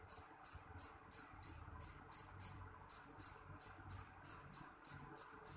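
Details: Shrill, bright pulses from a jeliteng cricket, spaced about three a second with a short gap after the second second, over a quiet background of faint low rumbling.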